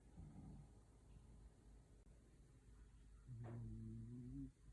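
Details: A dog sleeping comfortably indoors gives one long, low, droning snore near the end, tonal and buzzy with stacked overtones, after a fainter breath at the start; a quiet room hum fills the background.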